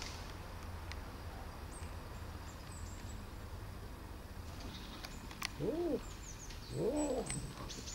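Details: Young male cat, rescued as a tiny abandoned kitten six months earlier, gives two short arching meows about a second apart near the end, after a stretch of quiet room hum with faint clicks.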